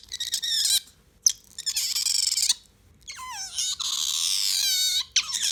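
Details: Bingo the otter, a pet that has lately been vocal, showing off a newly learned squeaking call it could not make before, a rolling 'gyururururu'. Loud, high, harmonic squeals and warbling trills come in long sustained bursts separated by short pauses.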